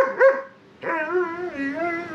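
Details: Seven-month-old male German Shepherd puppy talking back while being brushed: a short yelp, then a drawn-out, wavering, moaning vocalization with rich harmonics that rises and falls, with a man's voice scolding nearby.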